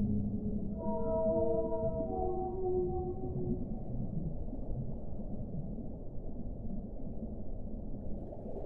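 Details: Layered whale moans with a rich ladder of harmonics open the passage, stepping slightly lower over about three seconds before fading into a continuous low, muffled underwater hiss.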